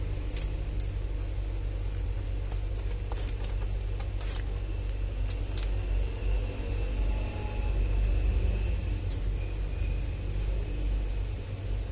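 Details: A loud, steady low mechanical hum with scattered sharp clicks, and no animal voices.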